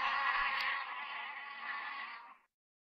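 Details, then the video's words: Bee buzzing in a steady, dense drone for about two and a half seconds, slightly louder at the start, then cutting off abruptly into silence. "Bee bee buzzing sound"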